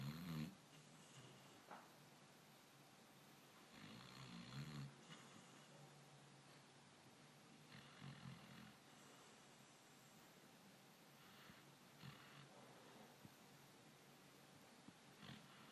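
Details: A black dog snoring indoors: soft, low, rasping breaths in slow irregular cycles, a few louder snorting inhales standing out against quiet room noise.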